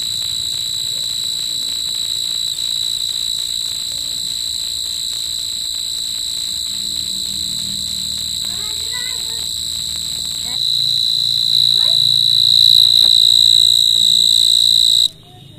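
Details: Night-time insect call: an unbroken, piercing high trill that continues throughout, growing louder near the end before cutting off, with brief human voices and soft low sounds in the background.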